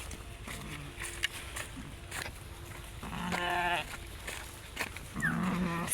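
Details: Garole sheep grazing as a flock along a canal bank, a young lamb among them; two wavering bleats midway and near the end, over rustling, footsteps and a person's voice outdoors.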